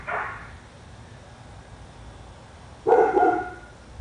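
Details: Dog on a residential street in Royse City, Texas, said to bark for hours daily. Two loud, coarse barks about three seconds apart, the second longer and fuller, over low background hum.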